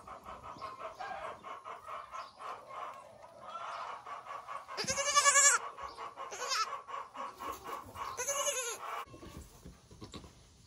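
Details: Newborn goat kids on Hickory Hills Farm in southern Indiana, one trying to feed and latch on. Two loud, wavering, harmonic-rich bleats stand out midway and near the end, over steady rapid clucking of chickens throughout.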